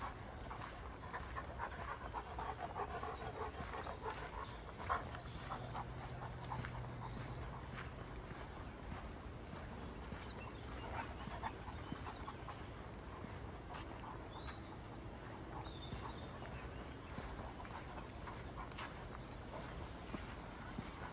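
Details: Greater Swiss Mountain Dog in a forest at Ulvenhout on 17 January 2016, panting in a steady run of soft, breathy puffs at low level, with faint rustling and scattered clicks of movement through the woods.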